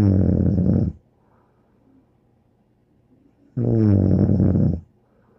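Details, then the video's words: Bear, a dog, asleep and snoring: a rattling low snore fades out, quiet breathing follows for over two seconds, then another buzzy, deep snore. "More angel Bear Snoring"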